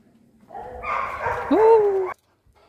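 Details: Male Labrador Retriever at a pet care center in Sarjapur, Bengaluru, gives a rising, sustained whine that levels off after a short burst of noise, while a person speaks to him in Hindi.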